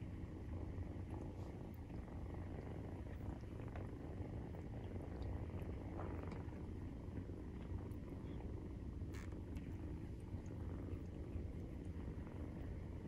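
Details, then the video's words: Nursing-time purr of Maine Coon cats with kittens aged 43 days: an unbroken low, buzzing rumble, steady in level, with scattered small clicks and faint movement noises on top. "授乳時のゴロゴロ 生後43日目【メインクーン動画】"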